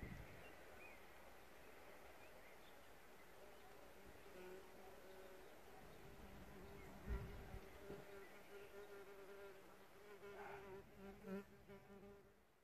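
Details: Bees at an insect hotel, recorded outdoors in nature: a steady droning buzz with layered overtones builds from about four seconds, swelling louder as insects pass near, with faint bird chirps and soft outdoor background noise.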